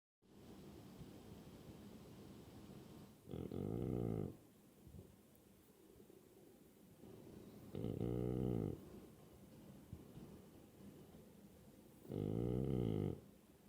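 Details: Zunko, a French Bulldog, snores while awake: three low, rasping, buzzy snorts, each about a second long, spaced roughly four seconds apart, with quiet breathing between them in a still room.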